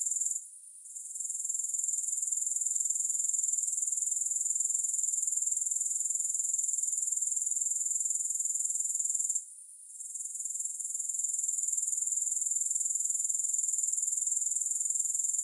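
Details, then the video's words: Grasshoppers, with no music: a high, shimmering pulsed trill that drops out briefly twice, near the start and again midway, then builds back to full strength each time. "3 Hours of Grass Hopper Sounds"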